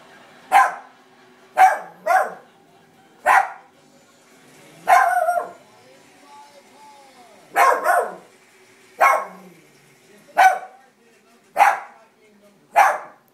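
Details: House dog barking at the television, about ten sharp barks repeated every one to two seconds, some in quick pairs, over a low background hum.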